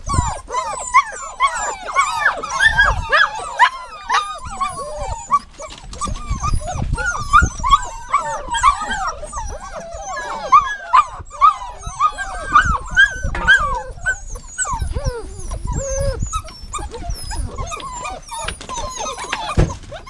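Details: Dog whining continuously in a dense stream of short, wavering, high-pitched whimpers and yelps that overlap almost without pause, with low thumps and some faint voice-like sounds underneath.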